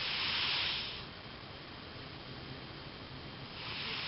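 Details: Sleeping cat Elvis snores with a breathy hiss that fades out. After a quiet stretch of a few seconds, the next rasping breath starts to build.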